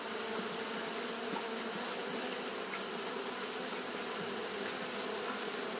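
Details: Steady wing-fanning hum from Japanese honey bees during hot weather, a thick uninterrupted buzz with faint brief higher whines over a constant hiss.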